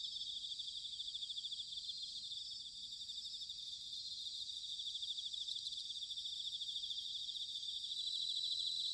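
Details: Bell crickets singing in autumn near Sanuki, Chiba Prefecture, Japan: a dense, steady high chorus of shimmering pulsed trills, with many insects overlapping and no other sounds.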